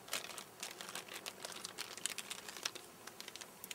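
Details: Dry crinkling and rustling crackles in quick, irregular bursts, with no animal voice present.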